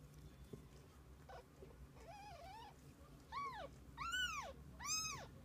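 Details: Kittens with their mother cat spending the day together; a run of high meows grows steadily louder, the last three arched and ringing, each rising then falling, over a low steady background hum.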